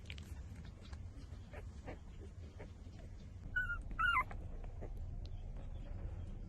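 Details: Puppies five days old, nursing from the mother dog: after quiet shuffling, two short, bright, bending squeals come about half a second apart, set against a constant low hum.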